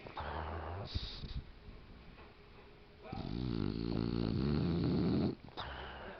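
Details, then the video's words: A sleeping, dreaming female mini Boxer, recorded on a digital camera, snoring with deep, buzzy, droning breaths. A short snore comes early, then a long loud rasping snore lasts about two seconds, with quieter snuffling noises between. "Snoring Boxer"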